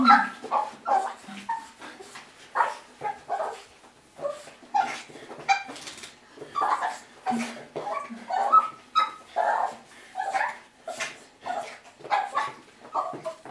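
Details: Six-and-a-half-month-old Russian Toy Terrier Bonya excitedly welcoming owners home from work, a daily ritual; rapid run of shrill yips, whimpers and barks about twice a second, people talking softly behind.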